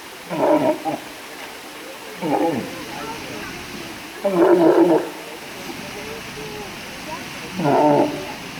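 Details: Four gruff, throaty walrus bellows, the third longer and louder, separated by pauses of one to three seconds against faint background noise.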